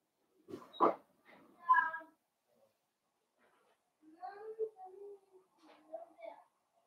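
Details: Young blenheim Cavalier King Charles Spaniel puppies at play with their mother Paris in an indoor pen, litter of five; a sharp yip, then a pause and a series of drawn-out tonal whimpers, with faint scuffling between.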